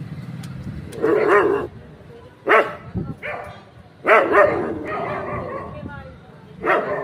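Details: Street dogs at night barking in short harmonic bursts, about four separate barks spaced a second or two apart, with quieter background noise between them.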